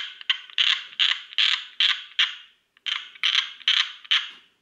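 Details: Tree frog giving harsh, grating croaks repeated roughly twice a second, a brief gap midway before the rasping pulses resume.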